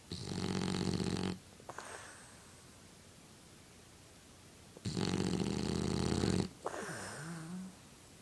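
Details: French Bulldog indoors snoring as it blows bubbles: two long harsh rattling snores about four seconds apart, each followed by a wheezy, slightly whistling exhale that wavers in pitch.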